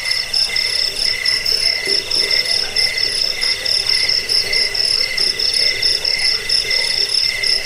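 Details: Crickets chirping in a dense chorus, a recording used to repel rats, lull listeners to sleep and train songbirds; high pulsed trills repeat steadily over a continuous shrill hum, with overlapping callers and no other sounds.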